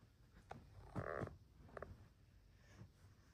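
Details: Luna Bear, a blue-eyed female house cat, cuddling indoors, gives one short, low, harmonic meow about a third of a second long, with brief softer chirp-like sounds before and after over quiet rustling.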